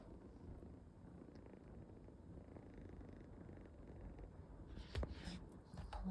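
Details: A kitten snoring indoors: soft, low rumbling breaths repeating about once a second, very quiet, with a brief voice near the end.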